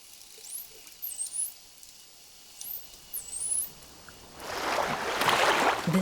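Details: Bottlenose dolphin mother calling her calf, opening with her own signature whistle that identifies which dolphin is calling when unseen; several high, sharply rising and falling whistles over the first four seconds, followed by a loud rush of bubbling water.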